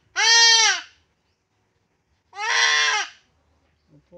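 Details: Goat being castrated lets out two loud, nasal bleats about two seconds apart, the second rougher, followed by a faint short sound at the end.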